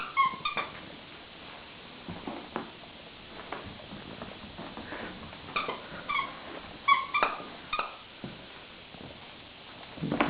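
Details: Pet dog giving short, high, tonal whines in brief bursts, once near the start and several times in the middle, while a person asks it to bring a toy; soft knocks and rustling between the calls.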